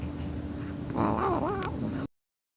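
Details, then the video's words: A cat making a funny noise: a single wavering, warbling cry that bends up and down for under a second, over low hum, then abruptly cut off. "Funny Sounds Cats Make"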